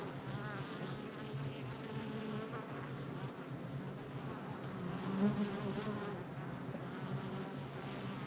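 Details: Hive entrance activity of honey bees on July 22nd, 2024: constant layered buzzing, a low steady drone overlaid with shifting, wavering wingbeat tones as individual bees come and go, swelling briefly near five seconds.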